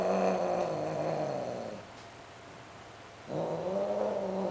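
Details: Sterilized Greek short hair and Siamese cats mating, giving loud sounds: long, low, wavering moaning howls, one fading out after about two seconds, then a pause before another drawn-out yowl begins.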